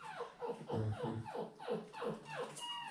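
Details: Seven-week-old puppies in their pen while it is being changed, giving a fast series of short, falling, whiny yelps, about three per second, with soft rustling in a small room.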